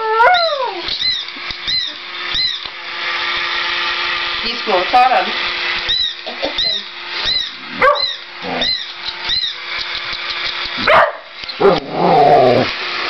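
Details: Two whippets, one a younger male, excited indoors by a mechanical toy cat, giving high whining and yelping cries that slide downward, over the toy's steady repetitive mechanical chirping and a person talking.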